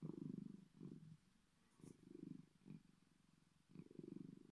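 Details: Bengal cat Bedford purrs deeply, big-cat style: grainy low rumbles in three or four short swells, one quieter stretch in the middle and a final strong burst.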